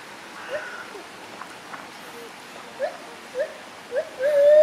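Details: Gibbons climbing among branches give a few short, rising whooping notes, then one long, steady hooting tone near the end, over a soft, hissing background.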